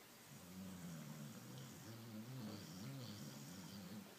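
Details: Low, wavering snore from Pablo, a sleeping senior Border Collie crossbreed with a patchy multicoloured coat, runs almost without pause as a droning rumble, rising and falling slightly with each breath.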